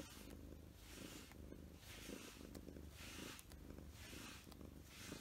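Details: Short-haired pet cats Mugi and Choco purring while being stroked with a grooming glove to remove shedding fur. A steady low rumbling purr continues throughout, with rhythmic brushing swishes every second or so.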